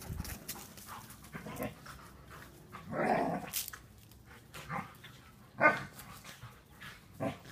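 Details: A standard poodle and a miniature poodle at play give short, gruff barks and scuffling growls, spaced a second or two apart.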